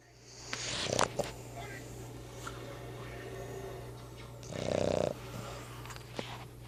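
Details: Boston terrier (Canis lupus familiaris), snoring.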